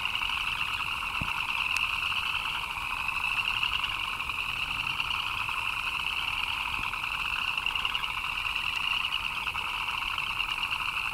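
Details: Many frogs calling together in rainfall, a continuous chirping wall of sound with a fine rapid pulse, one shrill upper band over a lower buzz, plus a couple of brief sharp clicks.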